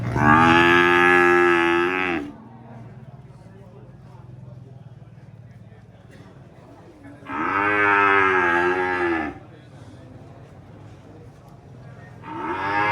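A cow gives long, loud moos, each lasting about two seconds, with quiet pauses between.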